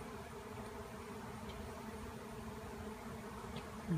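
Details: Swirling honeybee swarm formed after bees were cut out of a tree, settling onto branches; an unbroken low buzzing drone, even in loudness, with a brief louder burst at the very end.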